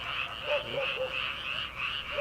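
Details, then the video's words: Night chorus of frogs in Korean paddy fields at the start of summer: a brief stretch of rolling, wavering high trills with a few short croaks underneath. "초 여름 개구리 울음소리/ 논에서 들리는 개구리 소리"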